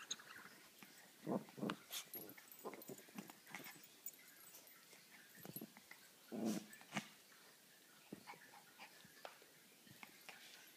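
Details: Teacup toy poodles Romeo, 1 year 5 months, and Bella, nearly 2, playing and fighting indoors; short low growls and snarling bursts come in scattered clusters, strongest near the start and around six seconds, with rustling between.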